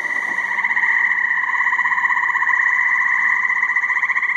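A dense chorus of tree frogs, many voices merging into a continuous buzzy, trilling drone.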